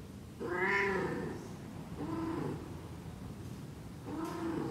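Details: Persian cat; heat call; female in heat calling for a mate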